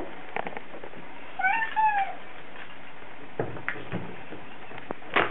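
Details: Bengal cat named Spot cries during his Saturday or Sunday car journey downtown, giving one wavering, bending meow lasting under a second amid constant engine hum and a few knocks and rustles.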